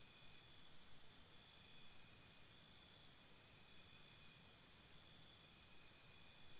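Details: Crickets at a campsite at night give a clear run of evenly spaced high chirps, about two each second, against a bed of steady high insect buzzing and faint hiss.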